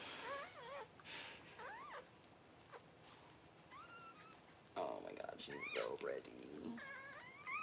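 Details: High, bending cries from newborn Cavalier King Charles Spaniel puppies during their mother Paris's first whelping indoors, repeated squeaky whines rising and falling in pitch, coming in quick clusters with brief pauses between them.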